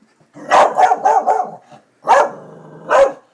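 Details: Darby, a dog worked up over construction workers at the new buildings, fires off a quick run of four rough barks, then a low growl bridging two more loud barks.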